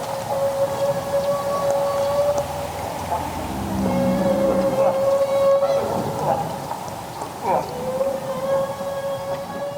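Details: A large group of humpback whales foraging in Southeast Alaska give social calls, long, steady, moaning tones that swell and fade over a watery hiss.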